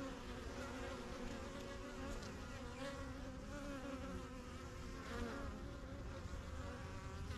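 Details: Constant buzzing of honey bees coming and going at a backyard hive, the strongest of a few set up in spring 2023; a thick even drone with close fly-by buzzes rising and fading.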